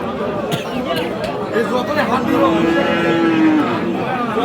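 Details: Friesian heifer calves on sale at Aftabganj livestock market, Dinajpur, Bangladesh, late October; a drawn-out, slightly falling bovine moo of over a second rises from the middle of a noisy market, with men talking close by.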